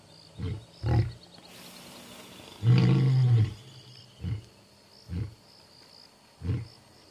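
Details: Two male lions, brothers in Balule, South Africa, roar as they head out into the night to announce their presence: a deep, booming roar, then a run of short grunting calls about a second apart.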